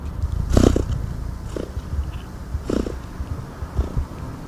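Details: Cat purring: a deep, continuous low rumble pulsing steadily, with a few brief breathy bursts about once a second.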